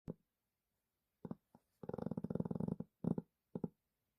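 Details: Dog snoring while asleep indoors: short rattling, pulsed bursts, the longest about a second of rapid throaty vibration, separated by brief silences in a quiet room.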